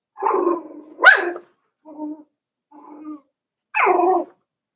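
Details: Puppy pen of five-week-old Cavalier King Charles Spaniels: a whiny yelp, a sharp rising squeak, two soft low growly grumbles, then a final descending whine.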